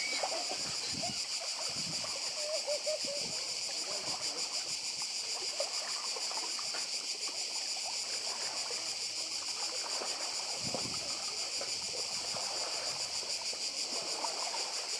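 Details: Many cicadas buzz nonstop on Badija island in Croatia, a bright high rasping drone with rapid pulses, while sea water splashes below and a faint voice is heard briefly.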